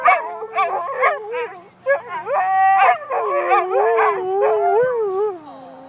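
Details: Siberian husky singing with its family: short yelping notes at first, then drawn-out wavering howls that slide upward and slowly fall away.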